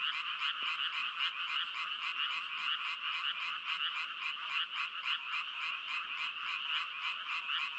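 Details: A continuous frog chorus of quick, grating croaks repeated about twice a second, holding an even loudness from start to finish, with no other sounds.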